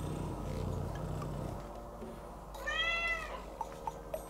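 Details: Pet cat crying loudly while left home alone, one of Scottish folds Tsumu and Mugi or British shorthair Maro: a single drawn-out arching meow mid-clip after low rumbling noise, then a few soft short chirps.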